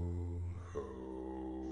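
A domestic cat gives an unusually deep, low, drawn-out meow that shifts upward partway through.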